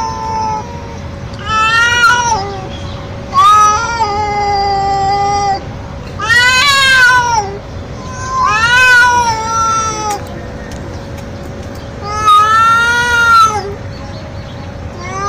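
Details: Young male street cat calling loudly, described as a male calling a female in heat; five long, wavering, harmonic yowls rising and falling, each one to two seconds, separated by short pauses, over a steady low hum and background noise.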